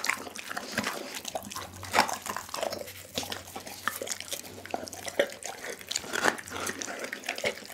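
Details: Doggy the pit bull chewing a whole chicken, a continuous moist smacking and crunching with sharp louder bites every second or so, and a soft constant hum in the background.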